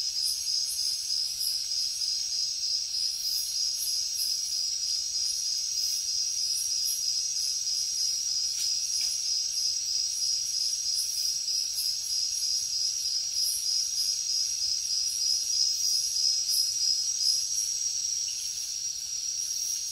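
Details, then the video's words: Crickets and other insects chirping at night in a jungle: a steady high-pitched pulsing trill, beating about three times a second, over a continuous shrill insect hiss higher still, with no other clear sounds. "Insects sounds | Cricket sounds |Jungle night"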